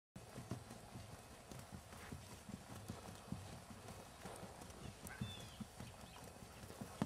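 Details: Jerry, a six-year-old keg-shod, natural-moving, head-shaking 3-gait Tennessee Walking Horse standing 15.3 hands with show experience, moving with a steady run of low, dull hoofbeats throughout, about three to four per second, under faint background hiss.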